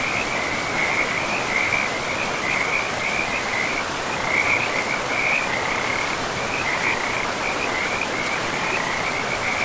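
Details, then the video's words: Frogs by a river in an untouched forest, calling almost without pause: dense, rapidly pulsed high trills that rise and fall in bursts, set against the loud, steady rush of the river. "River and Frogs sleep sounds 10 hours"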